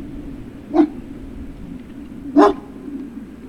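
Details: Great Dane puppy at Puppy Hill, 03-06-2019, barking twice, the two short barks about one and a half seconds apart against a faint steady hum.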